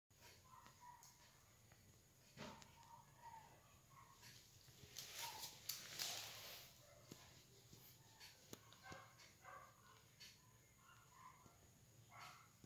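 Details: Belgian Malinois puppy making soft, high whimpers in short scattered bursts, some quick and repeated, with a brief rustling swell near the middle and a quiet background hum.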